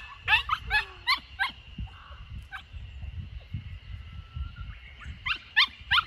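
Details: Sixty-four-day-old Samoyed puppy named Lucky escaping in a home garden in Niseko, Hokkaido, Japan, June 2021; clusters of sharp, high whimpering yelps open and close the passage, with a quieter gap and low rumbling noise between.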